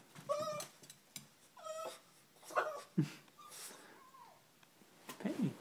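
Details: A female Boston Terrier, asked whether she wants her daily run at the park to chase her ball, cries in short, high, nasal whines, some sliding downward, eager to go.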